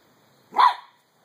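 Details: Three-month-old Pembroke Welsh Corgi puppy named Skip, playing with a beach ball, gives one short, sharp, high bark after encouraging words to go get it.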